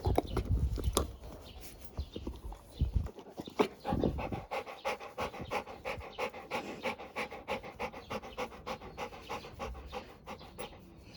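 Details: A relaxed Labrador Retriever pants steadily, about three quick breathy puffs per second, after a few louder rough breaths at the start. The rhythm is loose but continuous, and a low hum sits underneath.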